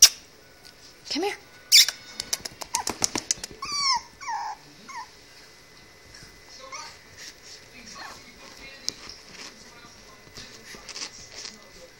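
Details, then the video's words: Three playing female Chihuahua puppies, freshly bathed, open with sharp clatters, then a burst of high whining yelps and squeals over a few seconds, fading into quieter scuffling and soft whimpers. "Chihuahua Puppies Playing"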